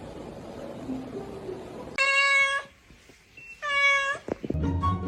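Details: Kitten meowing indoors: two steady, evenly held harmonic meows about a second and a half apart, followed by a short scuffling noise.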